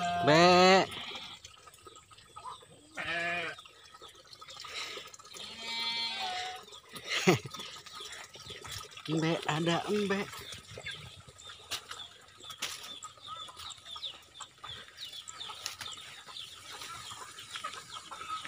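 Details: Farmed goats give wavering, quavering bleats in several separate bursts over the first ten seconds, the loudest right at the start, while people chat nearby, with faint bird calls and trickling water behind.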